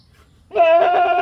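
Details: Goat bleating: a single loud, steady, harmonic-rich bleat starting abruptly after a brief quiet moment and holding at an even pitch to the end.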